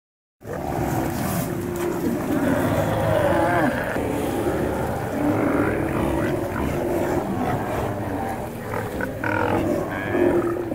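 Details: A crowd of Alaskan sea lions on a rock island in Alaska roars without pause, deep gruff voices overlapping into one rumbling chorus.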